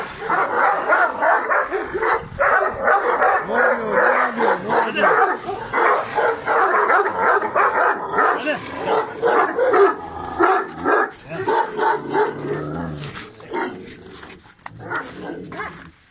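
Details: Kangal dog Cadı in a fixated, aggressive outburst at fellow dog Sarsılmaz: harsh, uneven barks and growls repeated for about sixteen seconds, roughly one per second, with some human voices mixed in.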